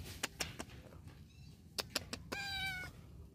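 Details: Hungry kitten looking for its mother, not yet nursed, left behind while the mother goes off to mate; a rising-falling harmonic meow near the end after scattered clicks and taps, with faint background noise.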